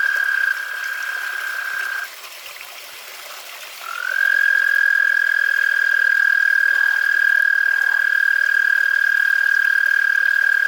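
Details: American toads calling at night in a suburban backyard, with temperatures in the 60s, give long, steady, musical trills on a single high pitch, one after another.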